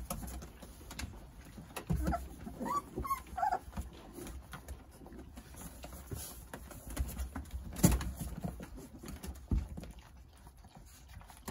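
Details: Nine Jindo puppies playing and toddling around under the care of their mother, Sarang. Short, thin whimpers rise and fall around two to three and a half seconds, over soft rustling and scattered knocks indoors.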